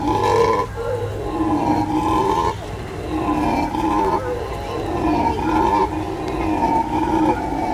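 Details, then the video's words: Howler monkeys howling: loud, sustained, harmonic roars in long overlapping waves with short breaks between bouts, several voices blending into a continuous droning chorus. "Howler monkeys howl"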